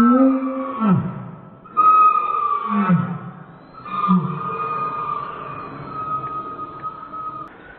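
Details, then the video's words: Pet Dobermann's whine played back in slow motion, likened to humpback whale sounds: low drawn-out moans that sweep downward, alternating with long steady whistle-like tones, several swoops over about eight seconds. "Doberman makes whale sounds!"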